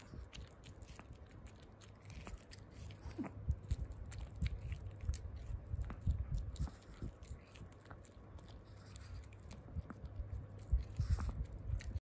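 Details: A Pomeranian crunches and chews corn, a favourite food, with quick irregular bites and smacking sounds.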